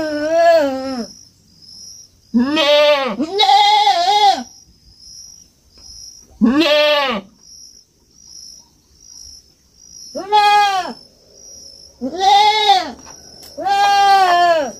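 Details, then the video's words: On a farm, a young goat bleats repeatedly: short and longer nasal, arching cries, sometimes doubled, spaced every couple of seconds across the recording. "Som de fazenda e cabrito berrando"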